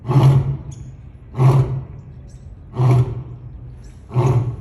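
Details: African lion giving four short, deep grunting roars spaced roughly every one and a half seconds, each a brief low burst that fades into quiet between calls.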